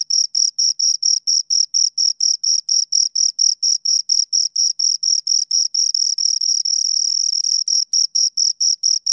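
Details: High-pitched rhythmic chirping from two crickets, regular pulses near two per second, briefly blurring into an almost continuous trill midway before the separate chirps return.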